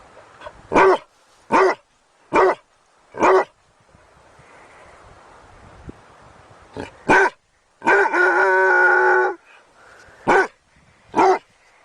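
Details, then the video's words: A dog barks in short, sharp bursts, four in a row, then a pause. It resumes with more barks and one drawn-out, tonal whining yelp in the middle. "SOUND OF DOG BAGGING BARKING DOG"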